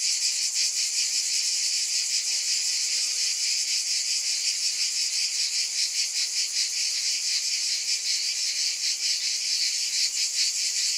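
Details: Cicadas give a bright, sustained electric-sounding buzz with a faint wavering pulse of about two and a half beats per second.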